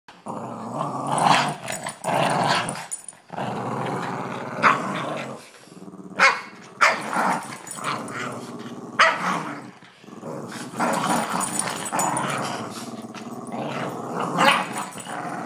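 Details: Two Boston Terriers growl in rough, rumbling bursts while playing tug-of-war with a person over a small rope, rising and falling in intensity with brief pauses between.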